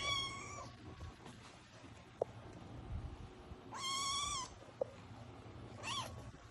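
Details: Eight-week-old kitten producing its first meows: three clear, harmonic-rich mews. The first is flat and drawn out, the second longer and slightly arched, and the third brief. Soft clicks and a low indoor hum sit in between.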